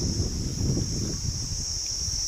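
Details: Crickets calling unseen all around in harsh bright sunshine, outdoors in a rural setting; a steady, unbroken high-pitched trill holds throughout, over low rumbling wind noise.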